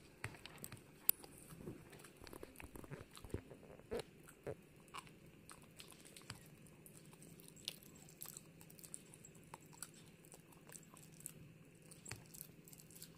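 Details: Female Pomeranian named Hana eating gum indoors: sharp, irregular crunches and clicking bites come in quick bursts, some louder snaps standing out, over a steady low hum of background noise.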